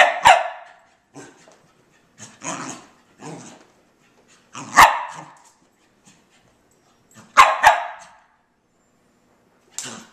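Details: A dog named Colbie running laps indoors, with sharp broadband barks at irregular intervals between quieter scuffling bursts, several barks landing in close pairs, in a quiet room.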